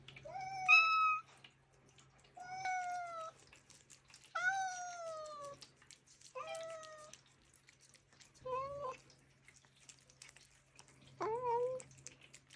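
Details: Pet cats making meow requests during treat time: six separate meows about two seconds apart, the first ones full and falling, the later ones shorter and clipped, with a quiet low hum beneath.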